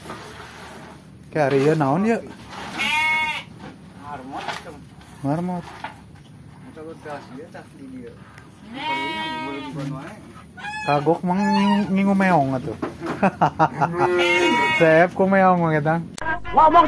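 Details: Garut sheep kept near a simple rural house in Kampung Sedekan, Mekarlaksana village, Sindangbarang, South Cianjur, Indonesia: repeated quavering, wavering bleats, several overlapping, mixed with people talking nearby.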